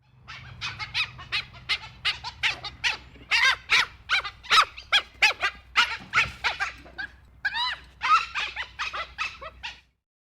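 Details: Dhole giving a quick, irregular run of short, sharp squeaks and yelps, several each second. Some brief rising whistled notes come near the end, over a faint low hum.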